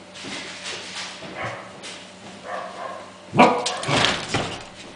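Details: Welsh Corgi puppies aged five weeks romp and fight playfully, letting out a quick cluster of sharp, high yips and squeals in the second half after quieter rustling and scuffling, with a constant low hum beneath.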